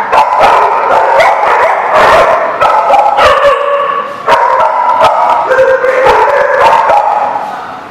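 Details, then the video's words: Continuous din of many dogs at The Barking Lot, 22 September 2017: sharp barks layered over sustained whining and howl-like tones, barely dipping in loudness throughout. "The Barking Lot"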